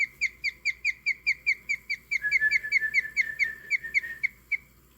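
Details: A guinea pig named Copper chirps in a steady, bird-like run of high, clear notes, about four or five a second, turning slightly lower and faster midway; the owner has not linked chirping with happiness.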